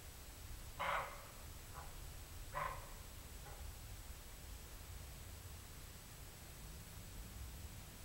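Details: Roe deer barking twice, about 1.7 seconds apart: short, gruff, raspy bursts, each followed by a faint echo, over a steady low rumble of background noise.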